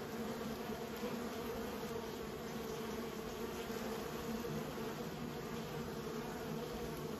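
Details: Beekeeping colony buzzing without pause, a thick low hum with a clear higher overtone, even in volume across the whole stretch.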